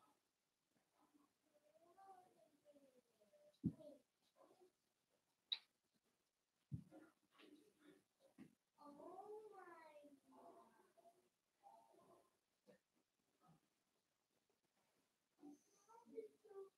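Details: Five blenheim Cavalier King Charles Spaniel puppies playing with their mother in an indoor puppy pen: arching, wavering whines rise and fall, mixed with sharp yelps, short grunting bursts and a few loud taps.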